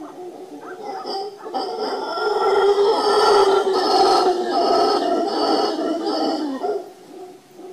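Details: A howler monkey on the Papagayo Peninsula, Guanacaste, Costa Rica gives a deep, rasping roar that swells and holds for several seconds.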